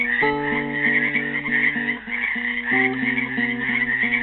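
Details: Frogs trapped in a pool at Helix, Oregon, on Earth Day 2016, keep up a dense, steady trilling chorus while a classical guitar plays plucked chords and melody over them.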